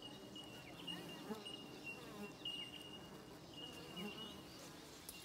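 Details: Australian native bees at their hive: a steady, low, faint humming buzz with soft passing buzzes of individual bees, and a thin steady high tone running throughout.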